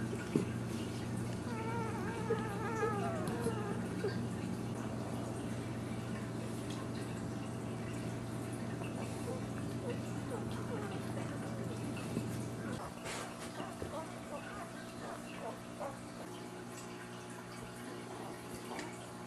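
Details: Ten-day-old Dachshund puppies beside their protective mother, giving thin, high whining squeals that waver up and down during the first few seconds, then a steady low hum with faint soft shuffling for the rest.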